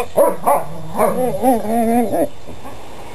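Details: Dogs at play, yapping and barking in quick bursts, then a stretched, wavering whine-like vocalisation, several yips within about two seconds before going quiet.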